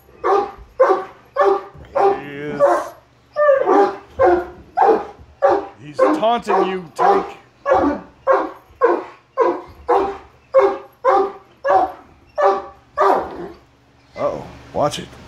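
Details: Great Danes, three males, freaking out at a Halloween mask: a rapid run of loud, deep barks, about twenty in fifteen seconds, nearly evenly spaced, with a brief human voice near the start.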